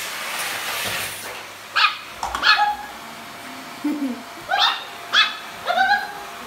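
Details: A pug, teased by its owners with a vacuum cleaner, gives short sharp barks and yips, about six in quick irregular succession, with a rising whine between, over faint background hiss.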